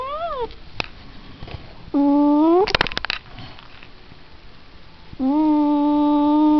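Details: Long, steady, tonal cat yowls from a house cat, each held a second or more at an even pitch, separated by quiet gaps with scattered knocks and clicks.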